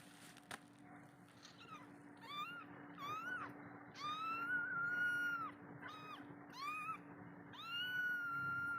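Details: Kitten left alone by its mother, calling her for milk: a series of rising-falling meows, some short, others drawn out and level, with steady low hum and a faint tone underneath.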